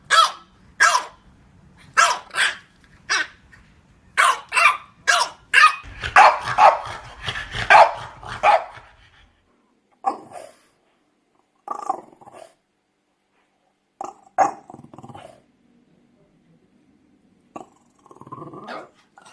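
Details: French Bulldog barking in play: a fast string of light, high yaps, then a dense rough rush of barks and growling, trailing off into a few faint, sparse yips.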